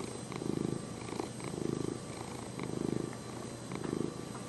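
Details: Close, regular purring from a cat called Lenny: a deep buzzing rumble that strengthens and fades in even breathing cycles, four swells in a few seconds, over a quiet hiss.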